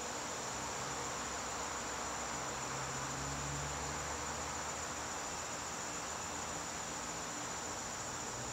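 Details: Crickets calling in a garden on a September evening: a continuous, steady high-pitched trill that never breaks, over a broad hiss and a faint low hum in the background.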